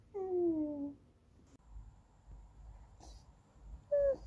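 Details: Goldendoodle puppy Andy whining for snacks or petting: two short tonal whines, the first sliding downward for about a second, a brief higher one near the end, with quiet room noise between.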